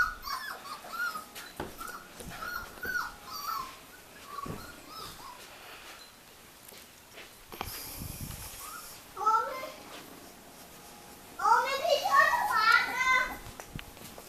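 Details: Miniature Australian Shepherd puppies make short, repeated whimpers early on, then quieter stretches with handling noises, before a late flurry of overlapping, wavering squeals and whines; human speech is also present.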